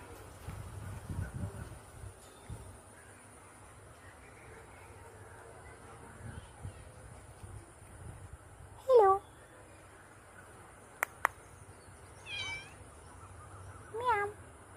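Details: Pet cat in the evening, talked to at home: three drawn-out, harmonic meows that rise and then fall, spaced a few seconds apart late in the recording, after earlier murmured speech and a steady low hum.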